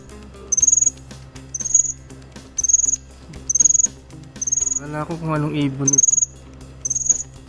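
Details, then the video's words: Regular shrill cricket chirps, each a fast buzz of pulses, recur about every second. A short harmonic, musical-sounding swell interrupts between chirps near the end, and a low hum sits beneath. "CRICKET SOUND"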